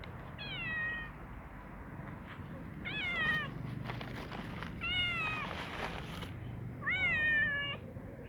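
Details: Yellow domestic cat making strange, repeated meows while eating food: four short harmonic cries about every two seconds, each bending down in pitch, over a steady low background rumble.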